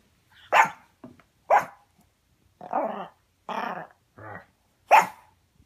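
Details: Yorkshire Terrier barking during play: six short, sharp, high-pitched barks spaced irregularly about half a second to a second apart, some rougher and growly in the middle, others clipped and bright.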